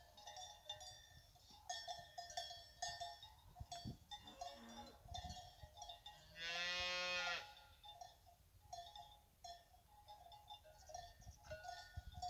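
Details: Fighting bull cows with their calves at the La Paloma fighting-bull ranch; one long, loud, harmonic moo lasting about a second follows a shorter, lower call, all over steady clanking cowbells.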